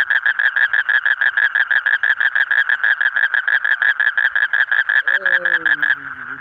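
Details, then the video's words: A colourful frog gives a long rapid series of nasal croaks, about five pulses a second at a steady pitch. Near the end a lower sliding tone briefly joins, then the pulsing stops. "Different Colorful Frog Sound"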